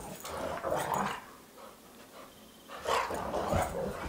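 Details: Two pet dogs, Sox and Louie, wrestling in circles around a house: rough growling bursts in the first second, a quieter pause, then renewed snarly growls and scuffles from about three seconds on.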